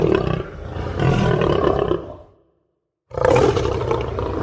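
A lion gives deep, rasping roars, two loud bursts broken by a short silence.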